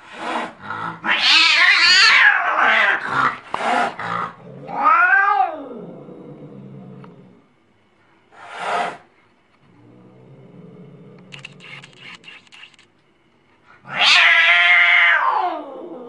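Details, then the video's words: Crazy angry cats yowling and screeching in loud bursts, harsh wavering wails broken by sharp clatters, a low arched moan, then another piercing, harmonic-rich howl near the end. "Crazy angry cats so funny"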